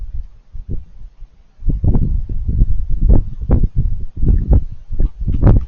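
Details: Raccoons eating, with crunchy chewing noises: quiet scattered crackles at first, then dense bursts of crunching and smacking from mid-clip onward, some sharp clicks standing out.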